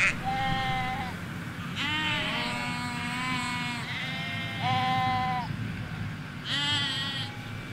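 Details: Sheep, ewes with their lambs, in a Hampshire field: overlapping bleats from several animals, some long and quavering, some higher and shorter, nearly continuous through the clip, with low road rumble underneath.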